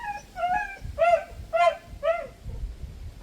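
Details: A dog sitting alone behind a fence near a house, howling and crying as if lonely; a run of short arched, whining cries, rising then falling, repeated about twice a second, with quiet background rumble.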